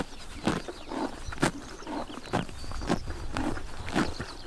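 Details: Grazing horses in Tuv province, Mongolia, chomp grass on a summer morning; rhythmic crunching bites land roughly every half second, each a short crackling burst, over a quiet rural outdoor background.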